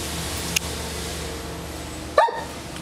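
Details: Bonita the Doberman, after about ten minutes of playing with a bumblebee, gives one short sharp bark near the end, preceded by a faint click, with a steady background hum.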